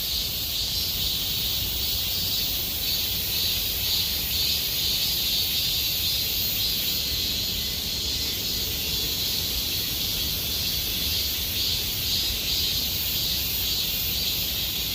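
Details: Cicadas singing in Gomsol Nuri Forest in the Sihwa district during deepening summer: a dense, steady high buzzing chorus with a slowly pulsing wash, plus a fainter higher hiss layered above, continuous throughout.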